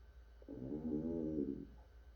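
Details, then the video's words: African bullfrog, also called pixie frog, gives one deep, droning moan of a little over a second. It swells and then fades, rich in stacked low tones, over a steady faint hum in quiet surroundings. "아프리카 황소개구리ㆍ픽시프록 울음소리"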